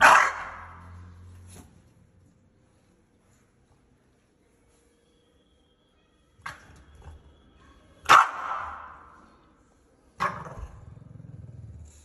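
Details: English Bulldog barking angrily at a balloon indoors; a few isolated loud harsh barks spaced several seconds apart, the first and a louder one near the end, with quiet gaps and faint rustling between.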